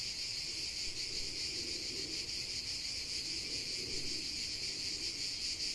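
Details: Chorus of cicadas in the countryside, an unbroken high buzzing drone with quick rhythmic pulsing and soft low rumbling underneath.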